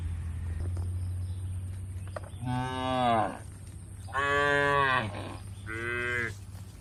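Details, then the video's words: Tame cattle eating fresh grass in an Indonesian oil palm plantation; three moos in quick succession, each under a second, rich in harmonics and slightly falling, above a steady low hum. "Bunyi suara sapi lembu"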